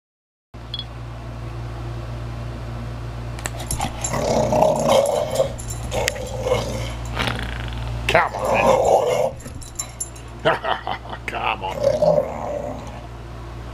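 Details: Archie, a 17-month-old Valley Bulldog, growling while playing: rough, rumbling growls in bursts around four, six, eight to nine and twelve seconds, mixed with clicks and thumps of play and a steady low hum behind.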